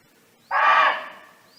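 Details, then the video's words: A single loud, rasping bark from a free-living barking deer calling to its friends in nature, sudden onset then fading, with a faint bird chirp at the end. "เสียงร้องของเก้ง (Sound of Barking Deer)"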